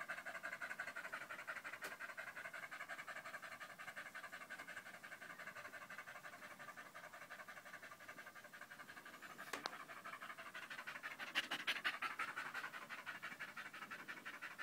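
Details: Danco, a dog pressed against a person's leg, recorded 5 August 2013 alongside Malinois puppy Amy, pants loudly in a fast, steady rhythm of about three breaths per second, with a few sharp clicks and knocks.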